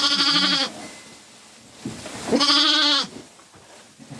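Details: Farm sheep with lambs: two loud, quavering bleats, each about half a second to a second long and roughly two seconds apart, against a quiet background.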